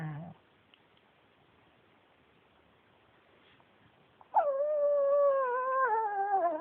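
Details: Male Pekingese Yuyu, once a shelter dog, gives a brief whine, falls silent for several seconds, then lets out a long sustained, slightly wavering moan that dips at the end.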